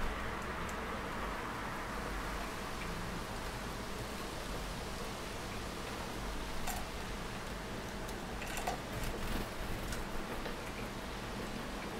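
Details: A steady, fan-like hum and broadband hiss fills the recording, broken only by a few faint clicks, with no animal voices.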